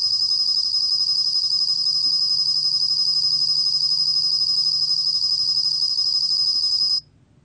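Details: Bell cricket song from the National Institute of Biological Resources, 2020: a continuous shrill ringing trill held evenly for about seven seconds, then cutting off abruptly into near silence, over a soft low background hum.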